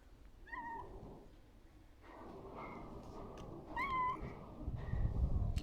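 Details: Cat walking around a person, likely a street cat being fed, giving short meows: a clear rising-falling meow near half a second, fainter calls around two and a half seconds, a strong meow near four seconds, low rumble of background noise.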